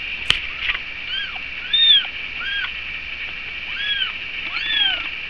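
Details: Cat around breakfast, a bottle-fed animal, repeating high arched mews about every half second to second, each rising and falling, steady constant hiss behind them, a sharp click at the start.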